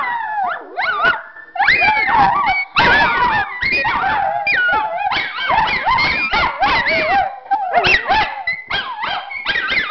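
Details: Three Miniature Schnauzers named Khloe, Ruby and Spencer howling together at home, a daily habit; overlapping wavering howls rise and fall in pitch, with short breaks between bursts.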